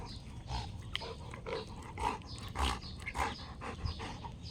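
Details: Female Rottweiler panting while playing fetch, throwing and catching a ball; soft, breathy, noisy bursts repeat roughly every half second at low volume, with faint handling noise in the background.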